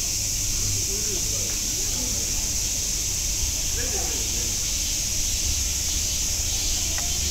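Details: Cicadas at Nogeyama Zoo in Japan: a steady, unbroken high-pitched droning hiss runs through the whole clip without pauses, over faint murmuring human voices and a low background rumble.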